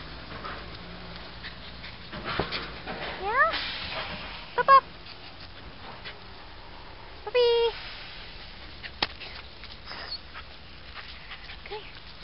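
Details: Australian Cattle Dog puppy giving a few high, rising whines and yelps, each brief and separated by several seconds, among quiet room noise.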